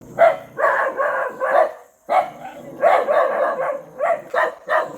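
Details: Happy, a puppy abandoned three times and described as an African puppy, barks during its rescue. About ten sharp, mid-pitched barks come in two quick runs, split by a brief pause near two seconds.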